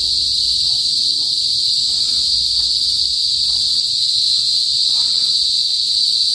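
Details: Philippine cicadas, locally kuliglig, heard in a provincial area of northern Philippines before sunset; a continuous loud high-pitched buzzing hum without pauses, faint low background noise beneath.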